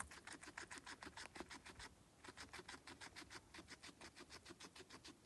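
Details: Guinea pig eating during feeding: rapid crunchy chewing at roughly three bites a second, broken by a short gap near two seconds, then resuming in a regular, loud crackling rhythm.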